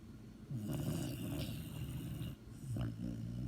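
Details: Dog asleep and snoring, a low, vibrating rasp swelling over about two seconds, a brief pause, then another rumbling breath begins.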